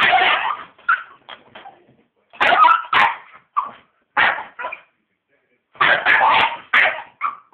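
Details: A Staffordshire Bull Terrier attacking a vacuum cleaner it hates, giving harsh barks and growly yaps in uneven bursts with brief silences between.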